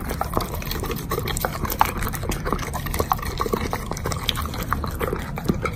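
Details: Pet Doberman chewing bacon. Moist, sticky mouth sounds with regular crisp clicks several times per second over a low, even background.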